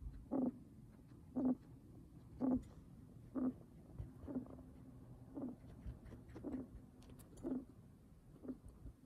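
Raspy, slightly wheezy breaths come from a guinea pig, each a short hoarse burst with a low hum inside. They repeat steadily about once a second over a faint background hiss.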